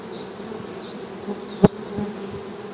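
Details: Soft, steady low hum of honey bees with its overtone, interrupted once by a sharp tap near the middle.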